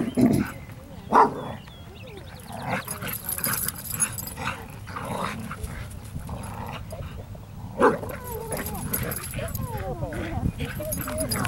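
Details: Fozzy, a dog about ten months old, plays with other dogs at a local dog park; a few sharp, separate barks stand out amid people chatting nearby and steady outdoor background noise.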